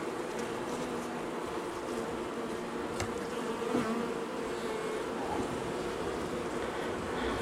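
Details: Angry honey bee colony disturbed at dusk during the first day of a cutout from a house wall, March 6. Low, continuous swarming hum beneath a hiss of broadband noise, with one faint knock.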